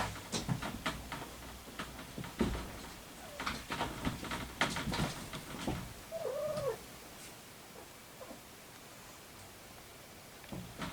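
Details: Maru, a 3-week-old ginger tabby kitten finally free of sneezing, runny nose and a blocked nose, gives one short high meow that arches up then falls, after several seconds of rustling, thumping handling noises indoors.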